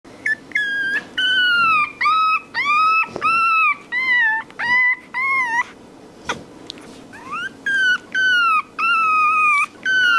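A puppy cries in a string of high, rising whimpers, each a short nasal whine.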